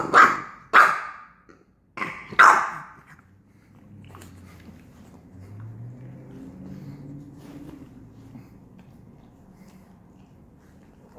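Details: Five-month-old English Bulldog puppy at home giving four sharp barks in the first three seconds, then low, quiet rumbling grumbles for the rest of the recording.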